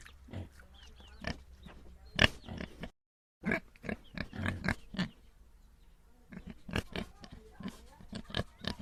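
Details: Farm pigs giving short, gruff grunts, some in quick runs and others spaced apart, with a brief silent gap midway and a low hum beneath.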